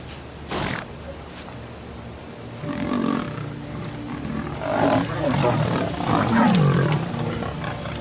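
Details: Lion facing a buffalo herd that turns to counterattack on the Serengeti. After a quiet start, low throaty growls swell into loud rumbling roars that peak near the end, over a constant high-pitched whine.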